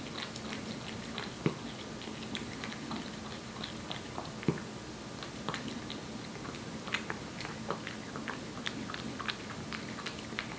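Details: Aeppi, a one-year-old Korean Shorthair cat born July 2018, eating wet food indoors: steady wet chewing and smacking with sharp irregular crunchy clicks, roughly twenty louder bites a minute, in a small quiet room.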